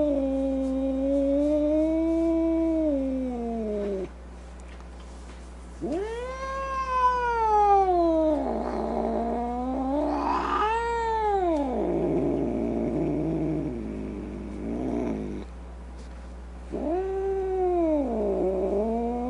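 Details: Domestic cat yowling in a series of long, arching cries, each rising then sagging in pitch, some breaking into rough, strained wails; pauses of a second or two separate the howls, with a steady low hum beneath.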